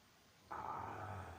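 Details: Boxer dog snoring: after a quiet start, a sudden rough, droning breath sound begins and holds steady, with a low rumble underneath.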